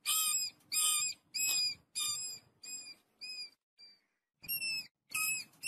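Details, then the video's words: Rats in a family group eating wheat, giving a run of bright, harmonic squeaks about twice a second that fade and shorten, pause, then resume loudly, with soft rustling underneath. "Family of rats eat wheat, the call of the flock of mice"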